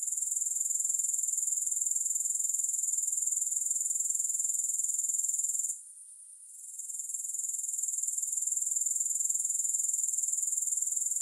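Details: Grasshoppers chirring with no music: a steady, very high, shrill buzz pulsing about four times a second. The sound briefly drops out near the middle before resuming at full strength.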